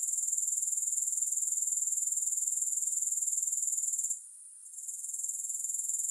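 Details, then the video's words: A high, shrill grasshopper trill pulses about four times a second, then briefly drops away near the end before the chirring swells back. No music or other sounds. "Grass Hopper Sounds"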